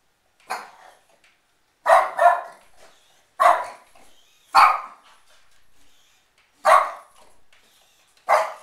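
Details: Shih Tzu barking indoors on Christmas Day at a shark attacking in the house: seven sharp, loud barks, some in quick pairs, spaced a second or more apart, with quiet gaps between.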